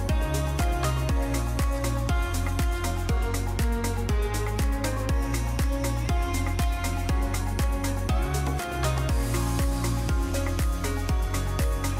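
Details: Driving electronic music with a steady thumping beat and layered synth tones throughout.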